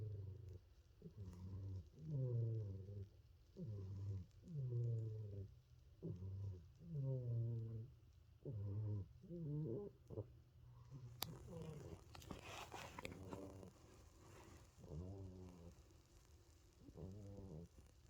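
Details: Sleeping cat snoring: low, rasping rhythmic snores, each a second or so long and repeated roughly every one to two seconds, with a brief rustle partway through before the snoring continues.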